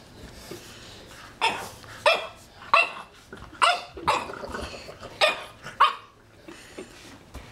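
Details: French Bulldog puppy, afraid of a magazine and barking at it far more than usual: a run of sharp, high, yappy barks, about one every half second to second, each rising then dropping, with quiet room sounds between.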